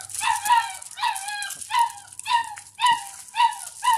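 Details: Doberman puppy at home drinking milk and playing; steady high whimpering, about seven falling, nasal cries spaced roughly half a second apart, with a faint low hum underneath.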